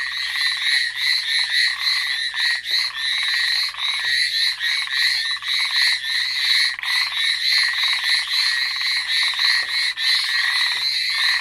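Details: A dense night frog chorus on Amami Island, Japan, of ornate narrow-mouthed frogs and Hallowell's tree frogs, gives continuous rapid, buzzy, rasping notes with bright overtones; a brown hawk owl may also be present.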